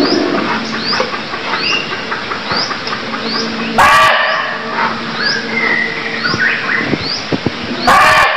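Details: In Cambodia, a barking deer lets out two abrupt, rough barks about four seconds apart, set against a busy chorus of high rising bird notes and low droning background noise.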